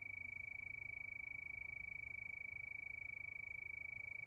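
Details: Crickets at night sustain one piercing high note broken into rapid regular pulses, about three each second, above a quiet muffled background rumble.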